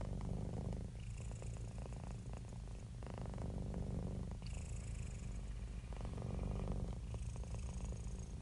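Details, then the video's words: Happy cat, relaxed and purring: steady deep throbbing rumble with rapid pulses, alternating louder and quieter breath phases across several cycles, light breathy hiss on top. "Happy Cat Purring"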